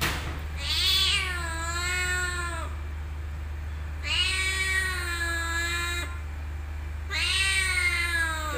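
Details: Cat meowing in a motorbike parking lot: three long, drawn-out harmonic meows, each rising then sliding down, about one every three seconds, over a steady low hum.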